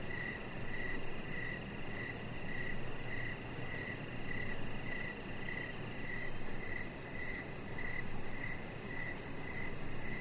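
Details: Outdoor crickets chirping at evening near a deck where a Chihuahua puppy lies. A long regular train of high, bright chirps, roughly two per second, runs over a constant low rumble.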